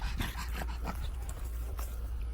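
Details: Pet dog panting in short, rapid breathy bursts over a steady low hum.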